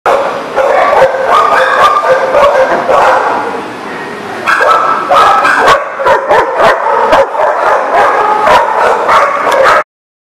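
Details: Several dogs bark and yip together, recorded 3/6/20: dense overlapping barks with high yelps, almost continuous for ten seconds, briefly quieter near four seconds, then a sudden stop.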